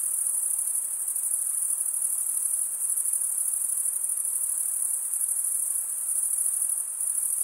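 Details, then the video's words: Summer-night crickets in forest keep up a continuous thin, very high ringing trill with a slight shimmering pulse, level and unchanging across the seconds, over a quiet background wash. "Pure cricket music for 20 min"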